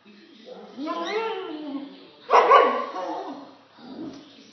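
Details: A Golden Retriever puppy, afraid of a lemon peel, gives a couple of short, harsh barks mixed with whiny vocal sounds.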